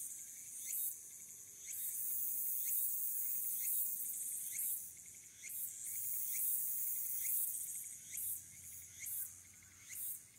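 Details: Walker's cicada singing in late August (22 August 2022) at the Aburayama Kannon observation deck, Fukuoka City, Japan, captured on a smartphone: a shrill, high buzzing swell pulsing roughly once a second, breaking into shorter separate bursts near the end.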